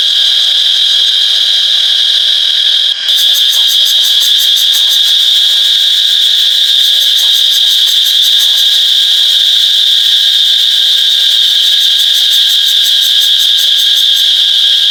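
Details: Cicada on an iPhone 8 recording, an intense steady high-pitched buzz; after a brief dip near three seconds a fast pulsating rattle joins the constant drone.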